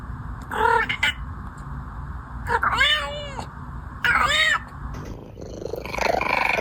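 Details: Domestic cat making weird noises: short nasal meows, two of them arched and harmonic-rich, separated by gaps, with a person's voice and background noise around them.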